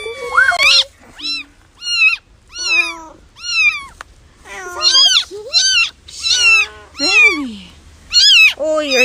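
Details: Kittens meowing: a quick run of high, short mews, many sliding downward, coming roughly every half second, with a few lower, longer cries mixed in.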